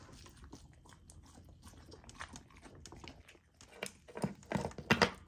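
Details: Golden Retriever puppy, a female, eating raw dog food kept frozen to slow her eating; quiet chewing builds to several loud, sharp crunches near the end.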